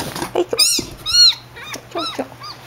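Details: Rescued baby kitten, bottle-raised, calls in a quick run of thin, high, arching mews, about five in under three seconds, with softer short squeaks between them and a faint steady hum behind.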